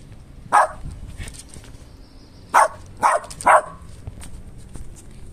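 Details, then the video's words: West Highland White Terrier barking at nothing visible, reacting to a hidden smell from the air vent; one sharp bark, a gap, then three quick barks close together, in a quiet indoor room. "Westie Barking At Nothing: Hidden Smell Coming Out From Air Evacuation"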